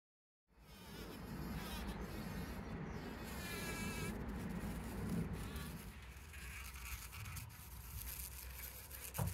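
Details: Bees collecting pollen, filmed by trail camera on 17 June 2023: a steady, dense low buzz of wings that starts abruptly and carries throughout, with faint warbling birdsong behind and brief rustling bursts.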